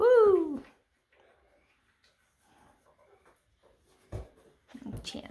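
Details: One playful baby goat gives a single loud bleat that falls in pitch, followed by near silence broken by faint shuffling and a few soft knocks.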